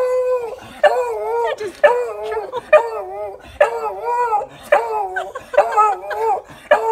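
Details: A Beagle howls in a run of short, wavering, yodel-like bursts, greeting its returning owner on being reunited after a year and a half apart.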